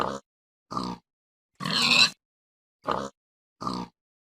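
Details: Domestic pig grunting in five short, harsh, broadband bursts, each under half a second, the middle one longer and rougher, separated by clean silence; no other sounds.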